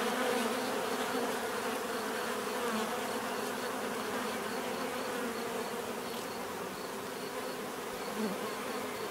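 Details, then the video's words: Bees buzzing in a steady, dense drone, many insects humming together with faint banded tones around the low-middle range and a softly pulsing high whine throughout. "bees therapy relaxing natural buzzing sound"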